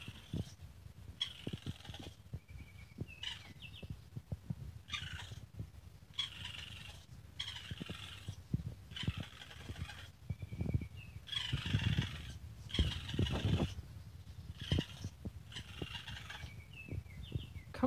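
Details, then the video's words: Baby raccoon giving rhythmic, purring, chittering bursts about once a second, some carrying thin high whistled tones, over a steady low rumble. "Baby Raccoon Sounds"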